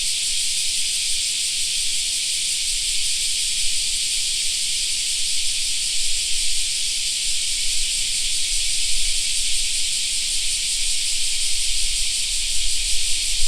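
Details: A summer park filled with cicada song, a continuous shrill buzzing wall from many callers that holds steady. A soft low rumble rises toward the end.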